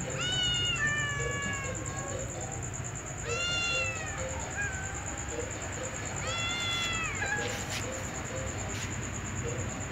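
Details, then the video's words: Ginger cat paired with a white female cat; three clear, drawn-out harmonic meows about three seconds apart, each starting high and sliding gently downward, over a steady high electronic whine and low background hum. "Ginger cat looks very harmonious when paired with a white female cat"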